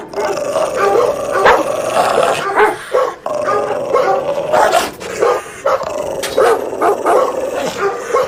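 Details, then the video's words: Dense, loud barking from an angry dog, rough barks packed closely together, broken by a couple of brief pauses. "DOG BARKING LOUDLY | SOUND EFFECT ANGRY DOG BARKING"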